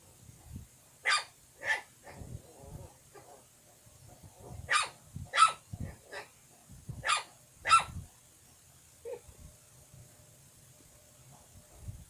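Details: A young puppy barks in short, high, sharp yaps, two early then a burst of five between four and eight seconds, irregularly spaced, with a soft whine and low handling thumps in between.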